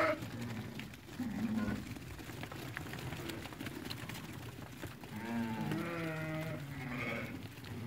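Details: Ewes that have lambed, among a group of about eighty offered for sale at Fqih Ben Salah. Short bleats rise out of a steady crowd and market din, and a longer quavering bleat runs for about two seconds near the end.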